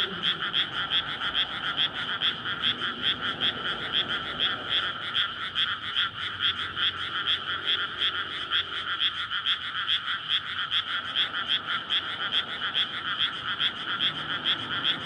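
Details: Frogs in a May chorus at night in a flooded rice paddy before planting, calling to court and breed, surrounded by housing; dense overlapping croaks pulse about twice a second in steady rhythm, faint low traffic rumble beneath.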